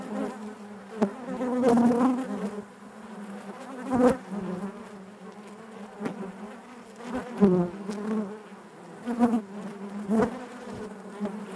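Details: Inside a honey bee hive: continuous buzzing drone with bright overtones, punctuated by short sharp clicks and bursts of louder buzzing every second or two.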